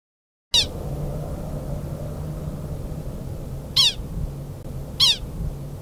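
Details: At Loveland Pass, Colorado, an American pika (Ochotona princeps) gives three sharp, high, squeaky chirps, an alarm call warning other pikas that a predator is nearby.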